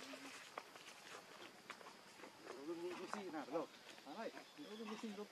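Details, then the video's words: Hungry baby monkey Lucie begging mother Catrina for milk: a run of high, wavering, harmonic cries in quick bursts, outdoors with footsteps and faint rustling around. "Lucie Beg Milk Catrina Because She Very Hungry Milk"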